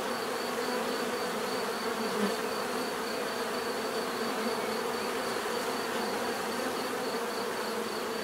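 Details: Bees hum continuously as a thick, even swarm-like drone with no pauses, and a thin steady high tone runs beneath the buzz.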